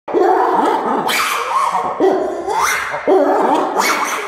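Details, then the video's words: Lemur barking in a series of about five loud, harsh, dog-like barks. Each opens with a sharp noisy burst, then a strained tone bends downward. Low grunting and rasping fill the gaps between barks. "whats a Lemur say...who knew."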